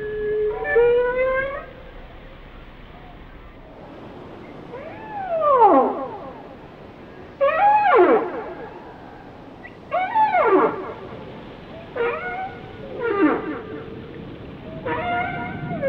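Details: Whale song: a steady harmonic tone near the start, then loud swooping calls that rise and fall sharply, about six phrases spaced roughly two seconds apart, over a soft hiss.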